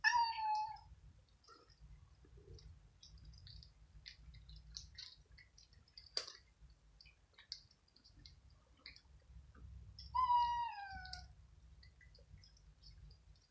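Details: Five kittens and cats squabbling over dry kibble in the evening: a drawn-out, slightly falling meow opens, a second harmonic meow sounds near the end, and crunchy chewing and clicks of food fill the gaps.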